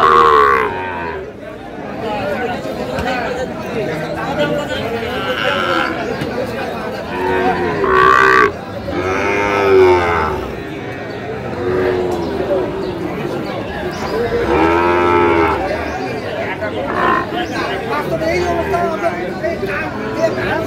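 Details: At a cattle market in Tangail, Bangladesh, young Sahiwal bulls and calves low repeatedly, long arching moos spaced several seconds apart, mixed with men bargaining and loud crowd chatter.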